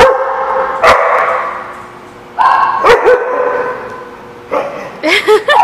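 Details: Dogs barking in scattered loud, harsh barks a second or more apart, ending in a rapid run of higher, yelping barks, with a faint steady background hum.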